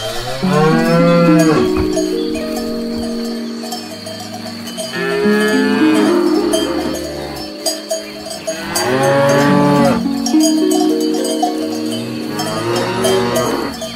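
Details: Grazing cows in a herd, several drawn-out, wavering moos rising and falling at intervals of a few seconds, overlapping one another, with steady metallic clanking of cowbells throughout.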